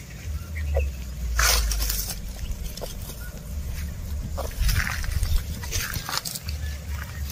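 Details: Cows and bulls (oxen) tear and chew grass while walking and grazing, with sharp crunching rips over a steady low rumble.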